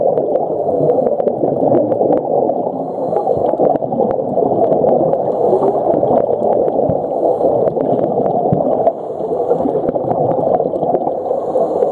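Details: Steady gurgling, bubbling water fills the whole stretch, with scattered sharp clicks and no clear animal call.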